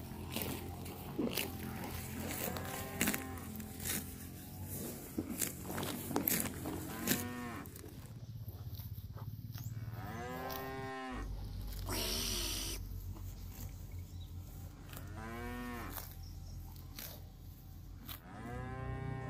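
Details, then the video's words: Cattle grazing and roaming across a grassy park; repeated moos from several animals, some short and wavering, others longer and arched, mixed with clattering knocks and a brief burst of noise midway. "Suara Sapi Lembu Makan Rumput"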